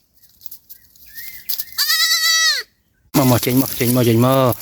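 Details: A baby goat lost from its mother in a forest at night gives a steady, high, slightly quavering bleat, followed by a loud man's voice calling out.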